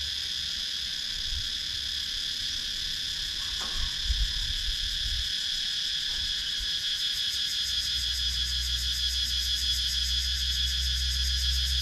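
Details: Cicadas in wooded countryside of Sakon Nakhon, Thailand, recorded on a GoPro Hero 9: a dense, steady high buzzing drone with layered bands, a pulsing rattle building in the upper range toward the end, and low rumble beneath.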